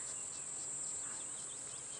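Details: On a very hot morning safari drive, when cicadas are said to come out, a continuous shrill high-pitched cicada drone holds steady with faint hissing background noise.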